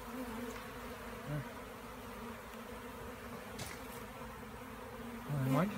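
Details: Bees droning in a steady hum; near the end a single louder buzz rises and swells briefly, as if one bee passes close.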